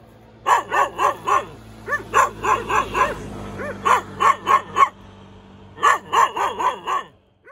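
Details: A cute dog gives rapid runs of sharp, high-pitched yaps in four clusters, several barks per second, over a faint steady low hum.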